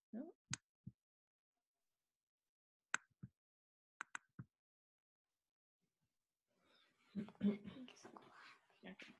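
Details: Sperm whale (Physeter macrocephalus) clicks: sparse, sharp clicks in short irregular bursts, followed by a person talking. Sperm whale families have different click patterns.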